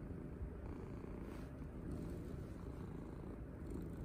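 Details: Domestic cat purring loudly while being petted and cuddled: a steady, low rumbling drone with no breaks, lasting the whole stretch, with no other clear sounds.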